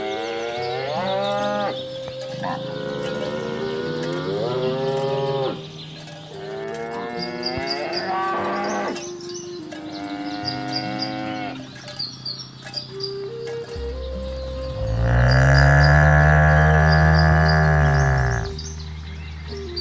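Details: Several cows in a rural herd being driven to the pen across green rice fields, mooing one after another in long, overlapping calls, ending with a loud, deep, drawn-out low moo.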